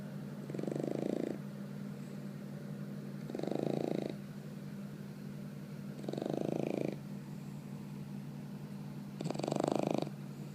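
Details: Four-month-old bulldog puppy asleep, snoring in slow rasping breaths, four snores about every three seconds, each a soft broadband rumble with a steady low hum underneath.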